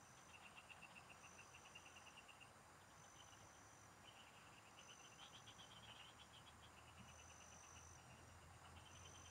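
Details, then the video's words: Several frogs calling in farm fields during a fishing outing. Rapid pulsed trills repeat in runs of one to two seconds, overlapping one another, with a constant high insect drone and faint low rumble underneath. "Pikinggan mo Ang MGA huni Ng MGA Palaka SA bukid"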